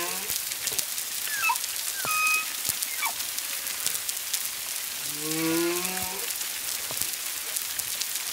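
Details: Song of humpback whales one to two miles off Culebra, Puerto Rico, recorded February 25, 2022, at least two whales: scattered short upsweeps and chirps, then a strong low harmonic moan near the end, over continuous crackling.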